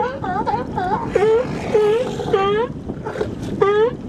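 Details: Close sea lions at Nanaimo, British Columbia, giving loud nasal barks in short bursts, several overlapping and then a pause before a final bark, over wind and lapping water.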